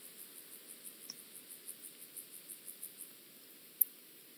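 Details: Penumbra grasshopper, Chorthippus vagans, at Mörnsheim, Germany, on 14 July 2023, recorded with an ultrasound detector: soft, even pulses repeated about every 0.15 seconds for over three seconds, high-pitched, then a single sharp click.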